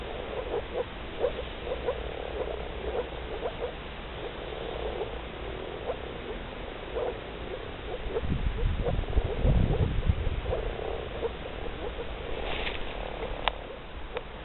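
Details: A chorus of breeding male moor frogs in blue nuptial colouring gives soft, hollow, bubbling notes, repeated rapidly in overlapping runs.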